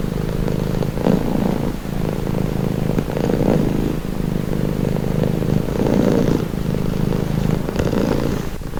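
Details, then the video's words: Domestic cat purring steadily, a low rumbling drone with soft rhythmic swells as breaths alternate roughly every one to one and a half seconds, close and continuous with no other sounds. "Purring cat"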